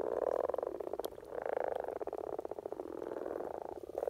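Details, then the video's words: Common frogs (Rana temporaria) in Norway give a continuous low, purring croak, a rapid rattle of pulses, as a mating call at the spring peak of courtship. "Common Frog Sounds - Rana Temporaria"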